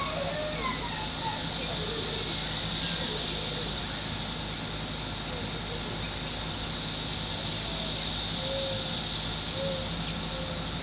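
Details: Brood X 17-year periodical cicadas emerging on June 5, 2021, in a residential area backing onto woods in Fairfield, Ohio, singing constantly. A steady, high, hissing drone swells and fades slightly. Faint bird notes sound lower down.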